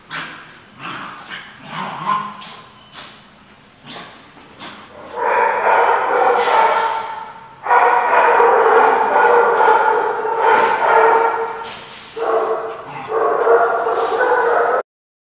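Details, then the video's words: Dog recorded on 16 January 2015: a few short, sharp yips early on, then long, steady, tonal whining howls lasting two to three seconds each, separated by brief pauses. "The Barking Lot"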